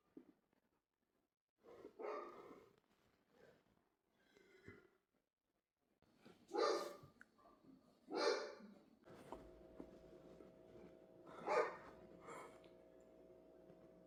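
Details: Dog producing scattered soft yaps followed by three louder barks spaced about two seconds apart over a steady low hum.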